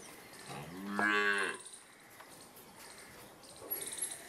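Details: Cow heard during hand milking: one short, low moo with a clear harmonic stack, about half a second long, then quiet farm background with faint clatter.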